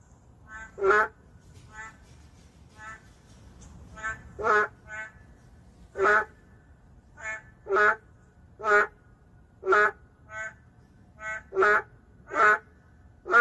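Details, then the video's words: Boldly calling in the city, the endangered narrow-mouthed frog gives short nasal, harmonic croaks, louder and softer voices overlapping, roughly one every second, with quiet gaps between. "도심 속 멸종위기 동물 맹꽁이 울음소리 (Narrow-mouth frog crying sound)"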